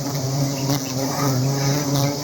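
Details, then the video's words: Honey bees at a beehive (putyukan) making a steady, low droning hum with layered harmonic tones, continuous and even throughout. "putyukan 🐝🍯"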